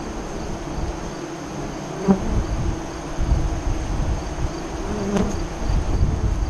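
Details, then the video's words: At a Nebraska hive entrance during the 2017 eclipse, honey bees make a dense low drone, with a couple of sharp passing buzzes as bees fly near. "Honey Bee Hive Eclipse 2017"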